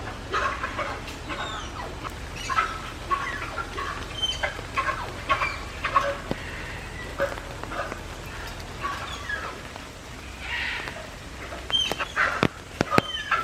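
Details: At Tama Zoological Park in Japan on 16 July 2024, Malayan tapir Rin, excited in the rainy season, utters repeated shrill squeaks and short whistled chirps, roughly two per second, with brief clicks and a low background drone.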